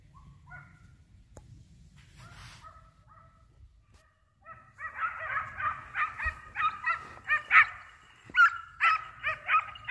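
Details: Hunting dog giving tongue while chasing a hare, during a hare hunt: a string of sharp, high barks repeated roughly every half second, starting after about four seconds of quiet rustling, with one faint bark early on.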